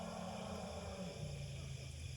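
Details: A wild Asian elephant mother at Khao Yai gives a deep, throbbing rumble, calling for her small lost calf, which was found separated about an hour earlier while rangers try to reunite them.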